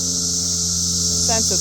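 Cicadas drone together in a continuous, high-pitched shimmering hiss that never lets up. A low engine hum runs underneath, and a person's voice cuts in briefly near the end.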